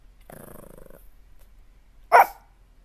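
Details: A dog in a funny barking compilation gives a low, voiced growling whine for under a second, then after a pause lets out one loud, sharp bark.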